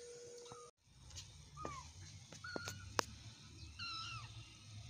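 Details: Domestic cat meowing, possibly a village or stray cat: several short high mewing calls, some falling in pitch, scattered over a few seconds amid steady background hum and occasional clicks.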